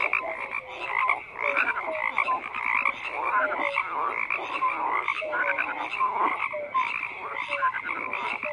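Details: Steady frog chorus with dense overlapping croaks and scattered short whistled notes, the mass of calls pulsing irregularly over several seconds without other notable sounds.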